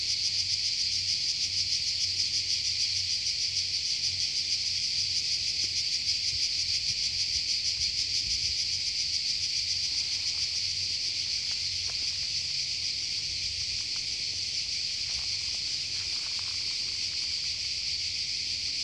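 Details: Cicadas calling in a forest in Croatia: a dense, continuous high buzzing hiss that stays steady throughout, with a faint rapid pulsing texture and a few soft low knocks in the background.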